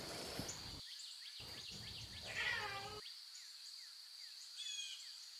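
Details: Wild lion cubs meowing in their natural surroundings: one short, harmonic, falling meow near the middle, over a steady high insect drone with scattered bird chirps.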